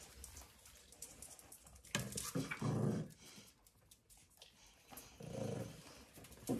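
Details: Puppies at play on a farm in County Kilkenny, Ireland, growling in short low rumbling bursts near two and three seconds and again around five and a half seconds, with scuffling between.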